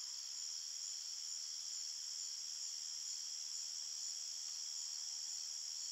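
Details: A steady nighttime chorus of crickets in a forest: high-pitched trilling blending into a continuous shimmering hum. Cricket.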